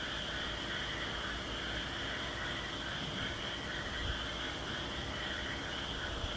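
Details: At Aso, many frogs call together in a steady, dense chorus of fast overlapping trilled notes, forming a continuous shimmering wall of sound over low background rumble.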